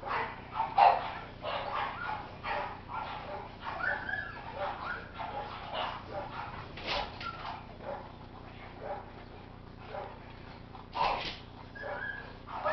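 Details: French Bulldog giving short, sharp barks in quick, uneven bursts over nearly thirteen seconds, some louder yelps standing out, with faint human voices and room noise in the background.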